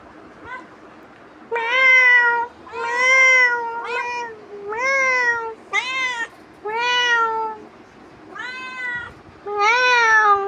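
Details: Cat pestering its owner, meowing insistently about nine times in ten seconds, with short and longer calls, several bending upward, after a faint opening mew.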